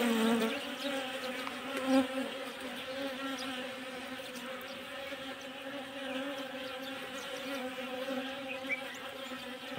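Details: Kashmiri Asian honey bees during winter feeding, a continuous, even, low droning hum with layered overtones throughout, slight swells in loudness, and faint bird chirps in the background.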